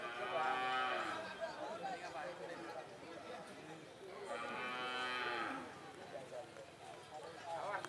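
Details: Cattle at a karapan sapi bull racing training session of Kawedanan Galis and Blega at Banyubunih field, Bangkalan, Madura, East Java, Indonesia. Two loud harmonic moos, each about a second long, about four seconds apart, over faint outdoor background noise.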